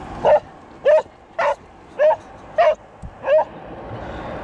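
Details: Border Collie named Jet, out skating and swimming and pulling ahead like a sled dog when urged to go forwards; six sharp, clipped barks spaced about half a second apart, with a steady low background hiss.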